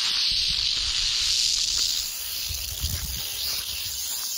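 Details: Continuous dry buzzing rattle from a canebrake rattlesnake, about four feet long, on a dirt road in North America; humid, windy 81-degree weather ahead of a tropical storm, with faint low rustling beneath.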